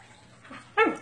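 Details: Siberian Husky during a basic training session: one short, sharp bark with a bright harmonic stack that slides quickly downward, preceded by a faint softer sound, with a low steady hum underneath.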